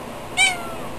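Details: A pet cat named Tiger, which chats back to its owner, gives one short, bright meow, harmonic-rich and slightly falling, set against quiet indoor room tone.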